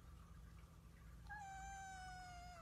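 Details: A talking house cat lets out a long, even meow that drifts slightly lower toward its end, against a quiet, humming room.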